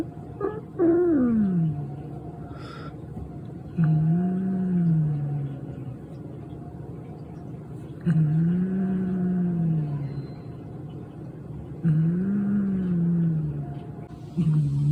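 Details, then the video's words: Pet cat Chamu, a thief who stole food meant for the automatic feeder, growls with a motorbike-like rumble: low, wavering moans that rise and fall, repeated about every four seconds, with faint rustling between them. "ネコから異音？バイク並みにうなる ちゃむ"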